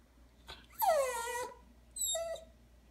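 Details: Coton de Tulear dog, excited by dental treats, so worked up it almost lost its breath: two high whining yelps with stacked harmonics, the first longer and sliding downward, the second short, after a faint click.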